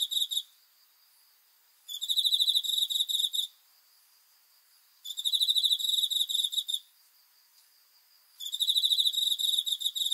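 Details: Crickets chirping at night, a high, bright pulsed trill delivered in bursts of about one and a half seconds separated by short silent gaps, four bursts in all, with no other sounds.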